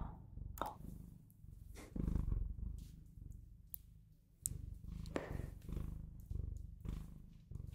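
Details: Bengal cat, a domestic pet, purring: a low, steady, pulsing rumble that swells and fades with each breath, with a few soft clicks and rustles between swells.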